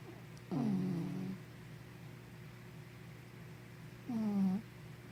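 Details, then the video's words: Sleepy puppy Henna snores in a small room; two low, rasping breaths roughly three and a half seconds apart, the first longer and buzzier, the second shorter with a falling, nasal tone, steady hum underneath. "Snoring Sleepy Puppy"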